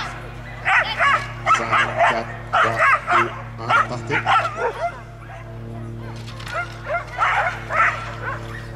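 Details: Belgian Shepherd barking during agility at a national breeding show: quick bursts of sharp barks in two clusters separated by a short pause, with voices and a constant low hum beneath.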